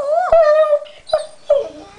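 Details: Pet dog whimpering while guarding a chew it hates to share with another dog; a long, steady, high-pitched whine, then two short yelps, indoors in a small room.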